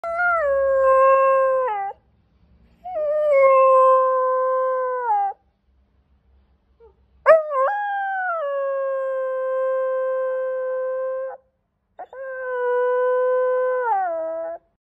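A corgi howls in long, steady, mid-pitched notes, each ending with a slight downward slide.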